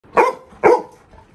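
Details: Labrador Retriever puppy acting mad at its owner to get one more prasad offering: two short sharp barks about half a second apart, then a faint third yelp.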